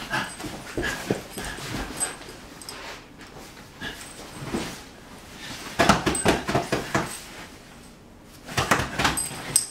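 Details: Whippet puppy being stirred up, giving short whimpers and snuffling bursts at irregular intervals, with louder clusters of scuffling sounds near the middle and end.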